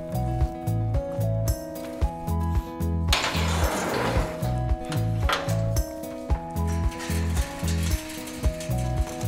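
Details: Rhythmic music with a steady thumping beat and sustained tones, plus a brief sizzling, rushing burst near the middle; no animal voices.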